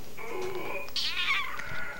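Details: Pet cat talking up a storm before getting his snack: a drawn-out, wavering meow that rises and bends downward, preceded by a softer lower murmur; a person speaks nearby.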